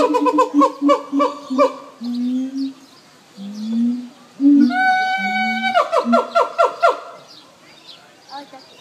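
Siamang singing: deep resonant booms mixed with rapid, loud, honking barks and a long drawn-out wail.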